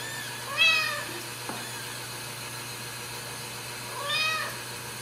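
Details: Home-raised Ragdoll kittens at a central Kansas cattery: two separate bright, harmonic meows about three and a half seconds apart, each bending down at the end, with a soft knock between them and a constant low hum behind.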